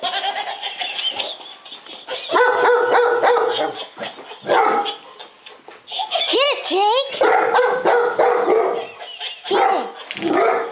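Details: Two pet Golden Retrievers, one a timid rescued dog, bark nervously at a laughing lion toy they fear: arched, yelping barks in bursts, mixed with human talking and toy laughter.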